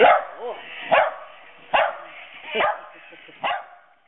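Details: Two Havanese rescue dogs barking for the first time as they confront a creepy green monster; five sharp, yapping barks spaced roughly a second apart, each short and bright, with the last trailing off into quiet.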